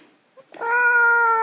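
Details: A Russian Blue cat resisting claw clipping lets out a single steady, sustained meow, clear and level in pitch, after a faint short squeak.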